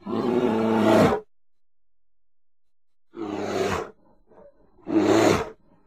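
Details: Bear giving three deep, rough, harmonic roars: a long one over a second, then two shorter bursts after a silent gap, each cutting off abruptly.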